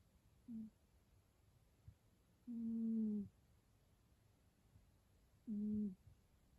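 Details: Snoring of a cat, three soft humming breaths, the first short and the next two longer, spaced a few seconds apart against a quiet background.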